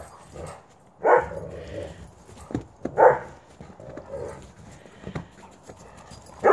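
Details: During rough play, Coco, a white female wolfdog, gets mad at her two brother dogs. She lets out short, sharp snarling yelps in separate bursts about two seconds apart, with scuffling between them.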